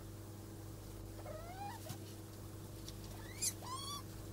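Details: Degus mating: two rising, harmonic squeaks, the first sliding upward over half a second, the second higher, sharper and ending in a brief bright chirp, with soft rustling and a steady low hum underneath.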